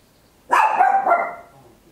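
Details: One loud bark from a small Papillon dog indoors at home, Olympus LS-11 stereo recording: a sudden sharp start with wavering pitch and a brief second push before decaying.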